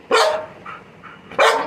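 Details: Labrador Retriever letting out two loud, harsh barks just over a second apart, the first trailing into a faint growly tail.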